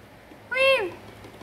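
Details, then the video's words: Narang, a kitten resting in the master bedroom, called to come eat: a single clear meow, rising briefly then sliding downward, strongly harmonic, under half a second, with a person's calling voice nearby. "나랑아 맘마 먹게 일로 와 냐옹~ 새끼 고양이를 불러요~"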